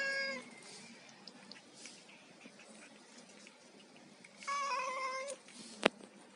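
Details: Domestic cat eating fish gives a short meow at the start and a longer wavering meow near the five-second mark, with quiet background noise and a sharp click just after.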